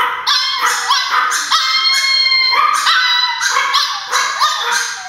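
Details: ['Pet Chihuahuas bark excitedly at the door, expecting their grandma to arrive; shrill, ringing yaps come about every half second in dense overlapping runs, some rising at the start.']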